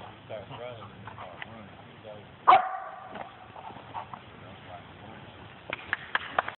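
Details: Zima the dog during bark and hold training with an automatic out, recorded 10/15/11: one loud, sharp bark rings out early on, amid people talking throughout and a few short knocks near the end.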